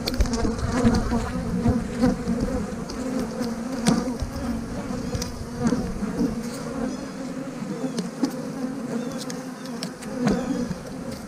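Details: Honey bees droning steadily around an opened hive as frames of young brood are pulled and moved to make a split, the hum swelling slightly at times, punctuated by sharp clicks of frame handling.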